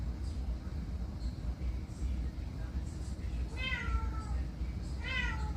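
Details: A domestic cat meows twice, each call a drawn-out harmonic note falling slightly in pitch, about a second and a half apart, over a steady low rumble of background noise.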